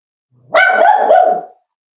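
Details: Nearly eight-week-old Cavalier King Charles Spaniel puppy with its litter at home gives a single sustained, nasal whining cry of about a second that wavers in two or three swells and then fades, with nothing else heard.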